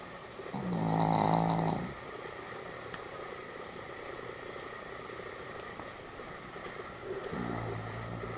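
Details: Pomeranian Sam sleeping soundly, recorded 1 November 2015: one loud, rasping snore with a low buzzing tone, then a stretch of quiet room hiss, and a second, softer snore starting near the end.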